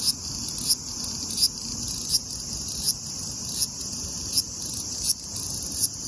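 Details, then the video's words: A large brown cicada (Graptopsaltria nigrofuscata) sings lively at 24°C (75°F), a steady, sizzling, high-pitched buzz with faint regular pulses. "Large brown Cicada singing lively at 24 degrees(75 fahrenheit)"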